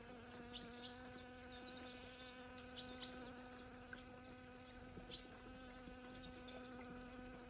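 A bee hums steadily in flight, a low, even drone with a rich, reedy tone.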